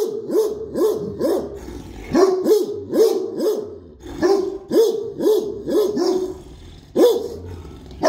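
A Great Dane barks in quick, deep, repeated bursts, several barks in each run.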